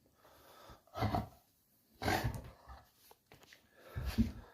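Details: Playful puppy giving three short, breathy snorting and wheezing bursts about a second apart, low and rough, separated by quiet gaps in a small indoor space.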